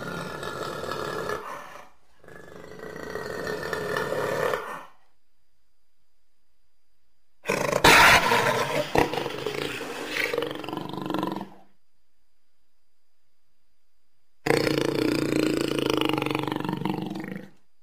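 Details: Jaguar giving deep, rough roaring growls in three long harsh bursts of several seconds each, separated by silent pauses.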